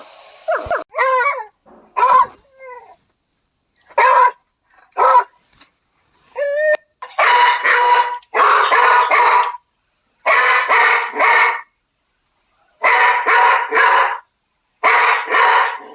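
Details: Beagle puppies barking: a few short high yips and whines, then a run of loud, harsh, rapid barks in bursts of three or four, separated by brief pauses.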